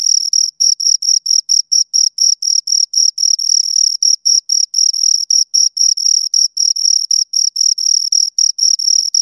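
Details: Pair of crickets calling close to the microphone: steady shrill chirps, rapid pulses grouped into bursts roughly four per second, slightly uneven spacing, bright upper harmonic, otherwise silent background.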